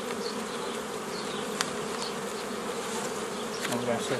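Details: Dense, steady buzzing of many honey bees while a hobby beekeeper forms nucleus colonies the old way, mid-May 2018; continuous hum with passing higher buzzes, a sharp click and a low rumble near the end.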